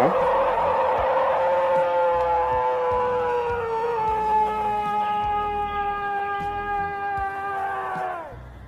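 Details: A bull elk gives its mating call, a long, drawn-out tonal call that slowly falls in pitch before breaking off abruptly, in woods where a man is foraging for mushrooms.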